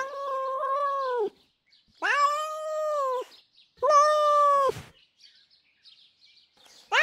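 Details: Female house cat Jasper, known for enraged, crazy sounds, lets out three drawn-out, level yowls about a second long each, separated by short pauses, with a fresh cry beginning at the close.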